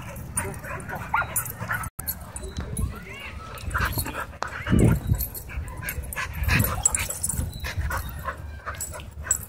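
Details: Dogs playing wildly at a dog park, giving scattered short barks, yips and whimpers over a low rumbling background, with faint human voices.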